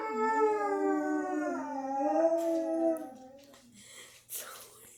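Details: Pet dogs howling while their owners were out at the store: a sustained wavering howl lasting about three seconds that trails off, followed by soft rustling and a brief breathy sound.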